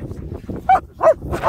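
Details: German Shepherds Nico and Zeeva: two short, loud barks about a third of a second apart, mid-pitched with a slightly whiny edge, a third sound starting at the end over a low background murmur.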